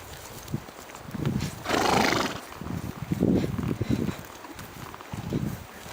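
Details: On a woodland outing, a two-year-old Swedish Warmblood led alongside a ridden coldblood trotter; a brief rough neigh near the start, followed by snorting, breathy bursts and clip-clopping hooves on the forest track.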